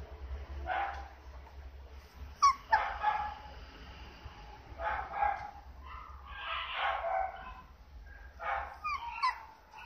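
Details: Female apricot Toy Poodle puppy, 58 days old, born 21 February 2016, at a breeder in Osaka, Japan: a series of short high yips and barks, some whining, irregularly spaced, with low background hum.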